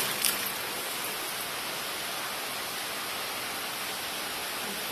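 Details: Steady broadband hiss like rain or rushing water fills the whole stretch, with one short sharp click near the start and no animal voice.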